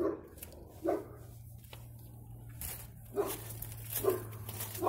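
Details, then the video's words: Dog barking, recorded 15 February 2020. Four single barks are spaced unevenly, separated by stretches of hiss and a constant low droning hum in the background. "dog barking"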